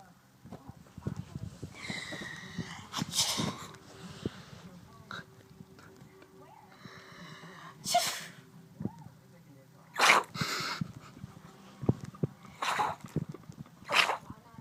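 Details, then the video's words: Dexter, a pet chihuahua, in a sneezing fit: sharp, breathy bursts of sneezes near the third, eighth, tenth, thirteenth and fourteenth seconds, with a person's voice talking between them. "Cute chihuahua sneezing"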